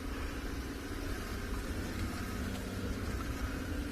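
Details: Steady idling engine rumble and broadband hiss from a safari game drive vehicle at sunset, with no animal calls heard.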